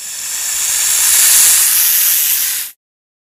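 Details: A king cobra hisses as a warning signal: one continuous breathy hiss of nearly three seconds, swelling slightly in the middle, bright and high-pitched, then stopping sharply.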